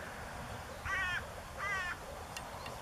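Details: Breeding male moor frogs, blue-coloured, at the Niedersächsische Elbtalaue on the Elbe river in northern Germany, mid-April 2013. Two quick, pulsed, gurgling calls are heard less than a second apart over soft background hiss.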